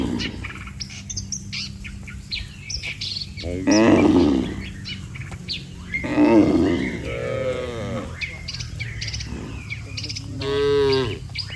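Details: Dozens of cattle lined up on a road, mooing as if calling the herd home to the pen; three separate moos about every three seconds, one rising-and-falling, over constant chirping of small birds.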